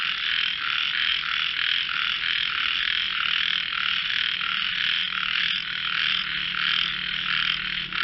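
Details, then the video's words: Many frogs trading voices in a singing competition, their high buzzy croaks merging into an unbroken pulsing chorus, with a faint low hum running beneath during the second half. "frogs sing"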